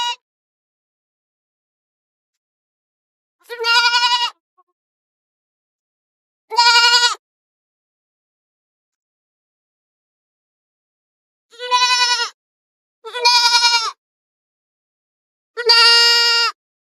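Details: Goats in forest and field pasture bleat five times at irregular intervals. Each call is short, nasal and quavering, with long quiet gaps, and two calls come close together near the end.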